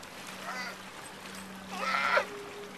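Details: Sea lions at Monterey Bay near the Breakwater, heard after a scuba dive: a fainter harsh honk near the start, then one loud, rasping, harmonic bark lasting under half a second, over a steady low drone.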